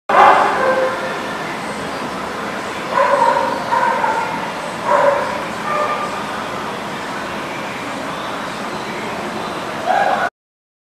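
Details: Dog barking at The Barking Lot on 16 September 2019: short harmonic barks at the start, a cluster around three to five seconds, and another just before the end, over a steady background rumble with possible voices.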